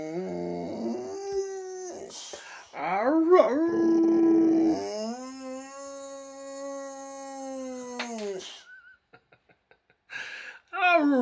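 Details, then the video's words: A Swedish male Boxer dog howls in long, wavering tones, rising and sliding, with brief whines between, howling and "talking" with his owner. "Funny And Cute Boxer Dog Howling And Talking With His Dad"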